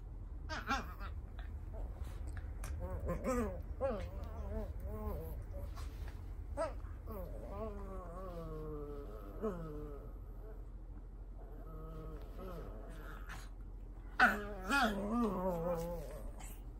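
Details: Indoors in Japan, a Cavalier King Charles Spaniel keeps up its insistent nightly pre-sleep ritual: a long series of wavering, sliding whines and moans, some drawn out and falling, with brief sharp knocks and a person's voice nearby.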